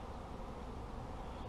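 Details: Honey bees at a beginner beekeeper's apiary: a steady, dense low droning hum of many insects, unbroken throughout, with no other clear sounds.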